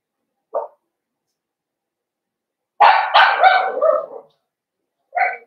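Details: Young blenheim Cavalier King Charles Spaniels from a five-puppy litter in an indoor pen. A brief yip is followed by a long, loud, rough run of barking lasting over a second, then another short yip near the end.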